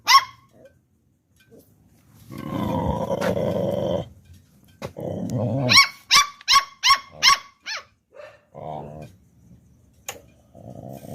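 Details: Two Pit Bull puppies barking at people: a rough, throaty growl, then a quick burst of five sharp, high-pitched yaps, with lower whining growls and short pauses of silence between outbursts.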